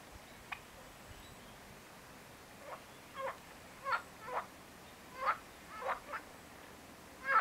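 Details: A marsh frog (Pelophylax ridibundus) gives short, rattling croaks in scattered bursts against a quiet background.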